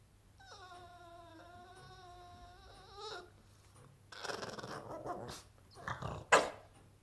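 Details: A Boston Terrier, unhappy that his toy has gone under the sofa, gives a long, wavering, nasal, turkey-like moan that wobbles up and down in pitch.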